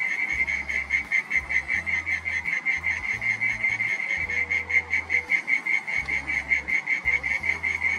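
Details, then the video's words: Loud echoing mole cricket song in a garden at dusk, from a burrowing singer: a continuous high trill at one pitch, with a steady throbbing pulse in its loudness, and no other clear sounds. "Mole Cricket Song"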